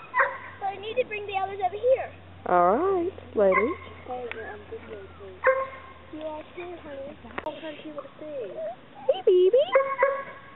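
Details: Chesapeake Bay Retriever puppies whining and yipping with long, bending, sliding cries and short squeals, while a woman talks to them close by.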